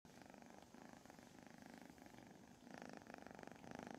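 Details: A kitten purrs steadily while being held and petted during morning lap time with its foster mom. The purr is a low, even rumble of rapid pulses that grows a little louder near the end.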